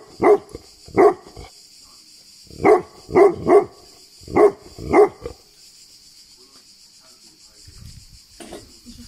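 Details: Deep barks from Bagira, a Tibetan Mastiff in Greece: seven heavy woofs in irregular singles and pairs over the first five seconds, then near quiet with faint low rumbling and a steady high hiss.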